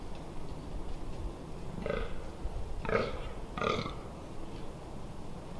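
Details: Fallow deer during the October 2021 rut in the Amsterdamse Waterleiding Duinen: three guttural, croaking groans in quick succession, roughly a second apart, against low background rumble.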